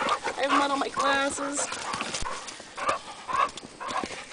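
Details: Two Hungarian Vizslas, Sophie and Sara, playing along the Delaware River near Delaware Water Gap, Pennsylvania, in April; short harmonic whines and growly yelps in bursts, with a person talking throughout.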